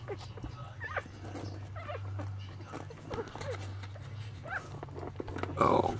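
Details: Lhasa Apso newborns, eight pups born on Elvis Presley's birthday and nursing with mother Sweetie Pie, make scattered short squeaks that arch up and down, with a louder squeal near the end over a constant low electrical hum.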